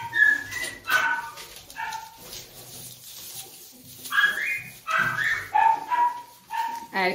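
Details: Doberman puppies, one described as male, letting out sharp high yelps and drawn-out whining tones that slide upward, in scattered bursts over several seconds, alongside a person's voice and handling noise.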